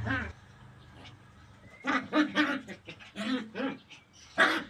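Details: Puppies playing in tight quarters, running, jumping and barking; a series of short, high yapping barks in quick clusters, with a final sharp yelp at the end.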